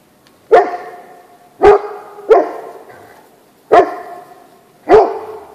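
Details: Great Pyrenees dog on a snowy winter day, out playing in the snow, giving loud deep barks one at a time, six in about five seconds at uneven gaps, each ringing briefly before the next; little else heard.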